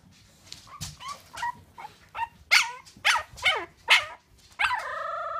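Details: Bulldog puppy dreaming, giving a run of short high whimpers and yips, several stacked bursts about every half second, ending in a longer drawn whine.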